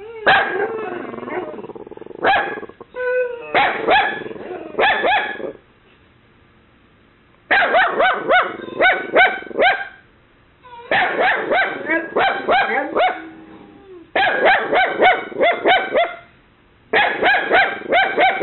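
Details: A mini Dachshund puppy named Kaylee, set off by a knocking noise, faithfully barks to ward off an imagined intruder. Her shrill yaps come in rapid clusters, with a two-second silent gap midway. Brutus, a Boxer, lives alongside.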